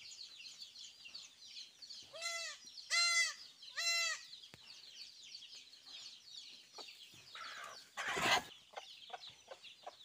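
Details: Goat kids at a farm, around their vaccination and a newborn goat: three short, high, wavering bleats about a second apart, with busy chirping of chicks or birds throughout and a sharp rustle near the end.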